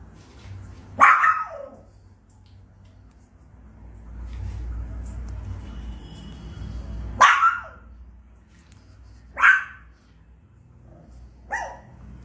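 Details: A Pekingese puppy barks excessively and non-stop for over a minute, giving sharp, high yapping barks spaced a few seconds apart.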